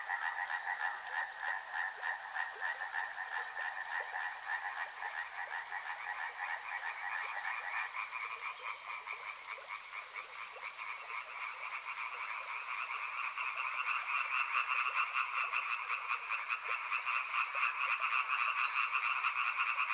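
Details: Frogs calling by a river in a dense, unbroken chorus of rapid pulsed croaks, two stacked bands of tone that step higher after about eight seconds and swell louder toward the end.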